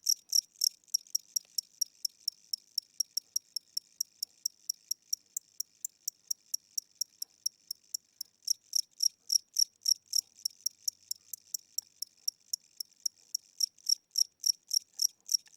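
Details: Tired old cricket indoors at night with weakening wings, chirping slowly: long run of sharp, high chirps about three per second, slightly uneven in loudness, fading softer midway then growing stronger again; nothing else audible.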